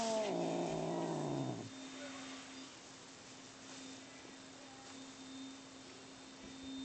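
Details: Fighting cats Bono and Mickey: a rough, loud growling wail fills the opening second and a half, then cuts off, leaving only a steady background hum and faint rustles.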